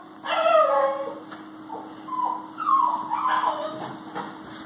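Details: Eight-week-old male Alapaha Blue Blood Bulldog puppy at play on a farm with an adult dog and a Chihuahua: a drawn-out nasal whine, then several shorter rising and falling whimpers and yips over a steady hum.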